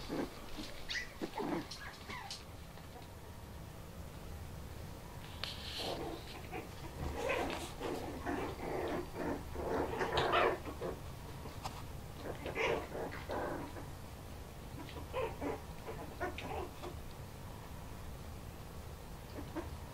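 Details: Bichon Frise puppies aged four weeks, very excited on their first time out of the basket, play fighting indoors: bursts of squeaky yips, whines and tiny growls come in uneven clusters throughout, with scuffling between them.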